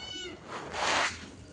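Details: Domestic cat meows at feeding time as rice is prepared; a brief harmonic mew opens, followed by a louder, broad drawn-out meow, with a woman speaking Bengali nearby.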